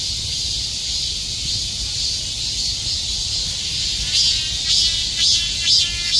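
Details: Countless cicadas clinging together like bees and shrilling at once in summer; an even, high metallic hiss carries throughout, with a few louder rhythmic pulses rising near the end.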